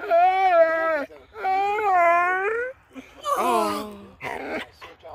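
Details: Sleepy Basset Hound named Bash, restless and wanting attention, gives two drawn-out whining howls of about a second each, rising at the end, then a woman speaks to the dog indoors.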